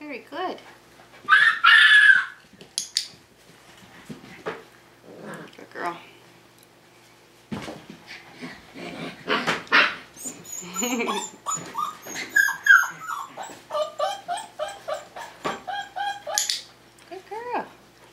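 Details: Five-week-old Tamaskan Dog puppies playing the Puppy Culture box game give high, arching whines and short yips in scattered bursts, with a woman talking between them and clattering sounds in a small room.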